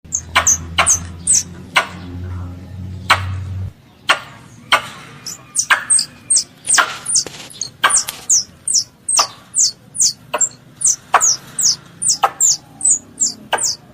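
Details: Squirrel, a farm pest, calling its mother: rapid series of sharp, high, downward-sliding chirps mixed with loud dry clicks, about two per second, a low hum fading out after four seconds.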